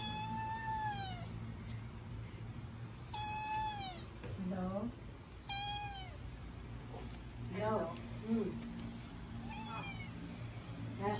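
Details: Naughty kitten giving a string of drawn-out meows, some long and falling, later ones shorter and more broken, roughly every two seconds, over constant low hum with brief human speech in between.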